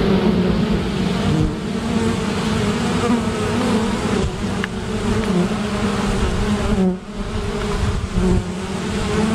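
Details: Courageous honey bees fending off a great black wasp, their massed buzzing a steady droning hum that wavers in pitch, with two short lulls midway and near the close.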